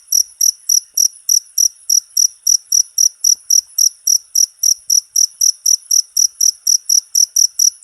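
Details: Cricket, jangkrik, recorded as a tutor sound for training songbirds: high, clean double-toned chirps pulsing in a steady, fast train, about four pulses a second, with nothing else audible.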